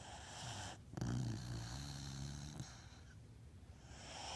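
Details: A sleeping Beagle gives one rough, low, buzzing snore lasting about a second and a half, trailing off into a soft airy hiss of breath.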